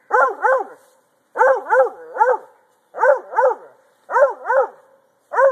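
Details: Male Treeing Walker Coonhound barking while treeing, steady rhythmic pairs and triplets of punchy, arched barks about every second and a quarter, each burst clean and resonant with short silent gaps between.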